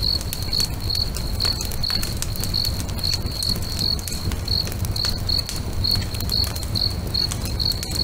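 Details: Lakeside crickets singing at sunset alongside a bonfire, their shrill pulsed chirps coming about twice per second in a regular train, mixed with frequent crisp crackles from the fire and low background roar.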